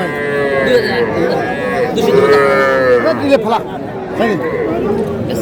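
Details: Small bull and heifer calves at a Madaripur livestock market, 17 February: a few wavering, nasal moos, one long call near the middle, set against busy market talk and crowd murmur.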